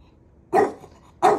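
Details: Maui the dog teases his big brother with two short, loud barks spaced under a second apart, each one abrupt and punchy against a quiet background.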